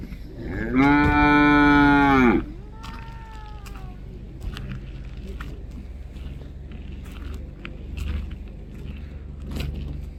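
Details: A cow gives a single strong, sustained moo of about one and a half seconds, flat and richly harmonic, followed by a fainter, gently falling tonal trail and then quiet low-pitched background noise with occasional soft thumps.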